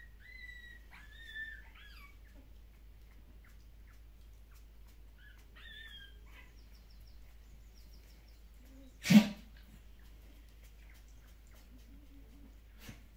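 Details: Kumi's puppies at a Netherlands breeder of Shiba Inu and Samoyeds, squealing during early neurological stimulation handling. Two pairs of short, high, bent squeals are separated by quiet, and one sharp knock or bump sounds near the end.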